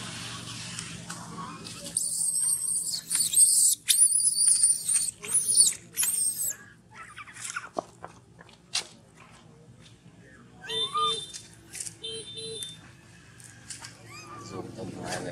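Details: Baby monkey Gino, hungry and denied milk by his mother Big Bertha, cries near a stone: runs of shrill high squeals early on, then pauses and a later pair of thinner tonal whimpers, mixed with clicking and chewing noises.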